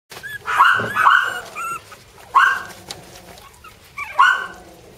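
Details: Jack Russell terrier puppies, a brother and sister, giving high, squeaky yaps and whines in four short bursts over five seconds, each a bright harmonic yelp, with quiet room noise between.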